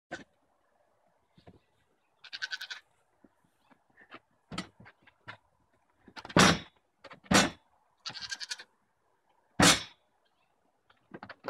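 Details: Adult goat and baby goat: a few short, wavering, nasal bleats with bright harmonics, heard around the second and eighth seconds, between sharp broadband clicks and knocks; quiet background.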